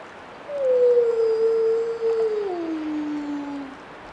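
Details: Wolf howling: one long, clear, tonal howl held at a fairly steady pitch for about two seconds, then sliding lower and fading out, over a quiet, faintly hissing background.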